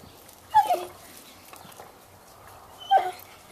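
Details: A Bloodhound, one of two playing with a toy and splashing in a swimming pool, gives two short yelping calls about two seconds apart, each with a sharp rise and fall.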